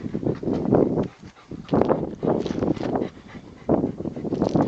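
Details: Rottweiler playing with a tyre, his favourite toy; rough, noisy growl-like bursts of about half a second each, repeated several times with short pauses between them.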